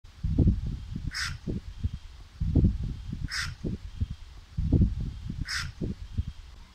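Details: A Nile crocodile of unknown sex gives deep, rough, pulsing barks in bursts about every two seconds; the person present thinks it was calling to them and wanted attention.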